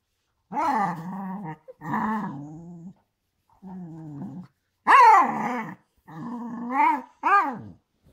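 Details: A corgi makes a run of moaning, grumbling noises that swoop up and down in pitch.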